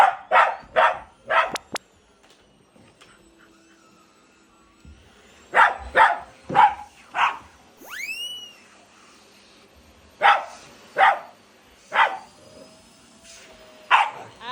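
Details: A Shiba Inu and a Labrador at home face off against a vacuum cleaner during household cleaning. About a dozen sharp barks come in quick bursts of two and three with pauses between them. Playful edited swoosh and tick effects are mixed in.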